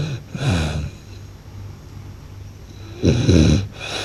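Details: Blue French Bulldog snoring hard: two heavy, guttural, rattling snores about two and a half seconds apart, separated by soft wheezy breathing over a low background hum.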